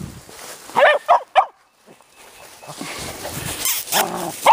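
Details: Teddy Roosevelt Terriers playing outdoors near woods on a warm February day in Georgia; three short sharp barks in quick succession near the start, then a rough scuffling growl and further yaps, with a woman talking.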